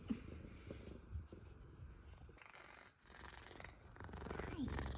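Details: Two F2 Savannah cats purr steadily and give brief meows as they greet their owner coming home from work.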